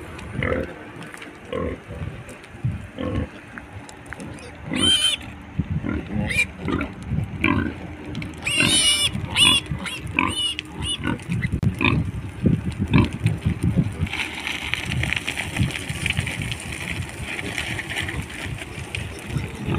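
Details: Wild pigs heading down the mountain: rapid low grunting throughout, with sharp harmonic squeals bursting out around five and nine seconds, followed by a steady hissing background in the last seconds.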